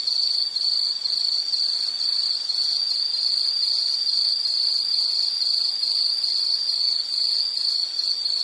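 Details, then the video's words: Nature soundscape with an insect calling: a continuous high, shrill trill holding a steady pitch, with slight pulsing along its length and faint higher overtones, and no other voices. "Nature Sound of nature sounds scenery L · insect"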